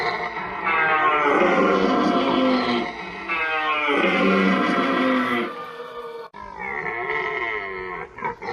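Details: Rutting red deer bellowing in the berrea, with 8D audio processing; loud, sustained, groaning roars run in two long bouts, followed by a shorter, harsher roar after a brief break.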